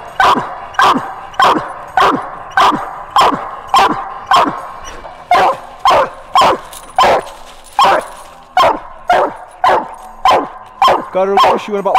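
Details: Hunting coonhound female on a coon hunt giving a long run of loud, clipped barks nearly twice per second, briefly ending in a higher whining yelp.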